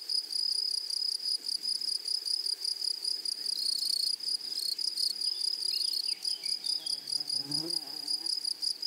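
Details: Grasshoppers in a flowery meadow: a steady, high, hissing buzz broken into rapid pulses that carries through all nine seconds, with a brief low rustle or thump near the end.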